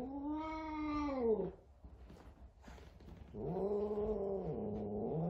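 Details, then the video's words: Frightened F2 Savannah cat meeting a little kitten for the first time: two long, low, strongly harmonic caterwauls, each steady then dropping at the close, separated by a short quiet gap with faint rustles. "F2 Savannah Cat Frightened of Little Kitten"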